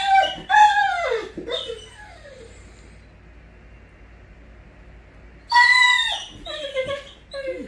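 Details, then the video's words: Excited Great Dane greeting its owner returning home: loud, drawn-out falling whines and howl-like cries in two bursts separated by a quiet pause. "Great Dane loves when Daddy gets home"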